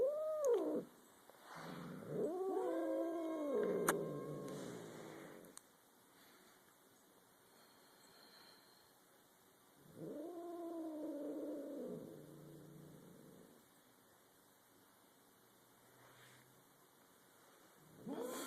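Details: Indoor standoff between two domestic cats, a third cat looking on: drawn-out wavering growls and moaning yowls come in bursts separated by quiet pauses, with a brief scratchy noise between them.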